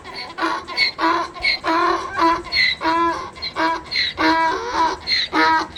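A donkey brays in a rapid series of harsh, rasping see-sawing notes, rising and falling in pitch.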